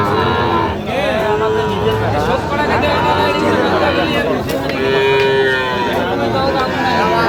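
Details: Sahiwal bulls at a cattle market in Kushtia, Bangladesh, on 5 August 2025: two short, mid-pitched moos around one and a half and five seconds rise through the constant chatter of a crowd of people bargaining.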